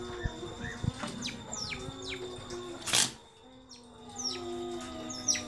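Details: Pet otters, one naughty otter bothering the others: a series of short, high, downward-sweeping chirps repeated about every half second, over a steady background hum and a brief clatter midway.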